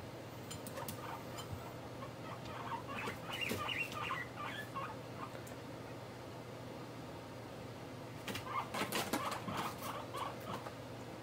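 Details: Guinea pig Mop's morning kyun-kyun calls while popping its head in and out: bursts of short high squeaks early and again near the end, mixed with rustling and clattering from movement, after a voice calling out.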